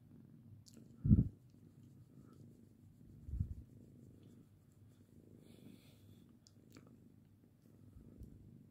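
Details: Domestic cat Lirael purring while being patted, before she grows tired of it and hisses; a soft, low, steady rumble runs throughout, with two louder low thumps near one and three and a half seconds.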